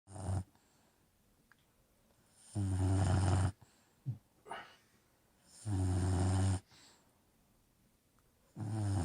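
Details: An Old English Bulldog snores loudly, each rumbling, rasping breath returning about every three seconds.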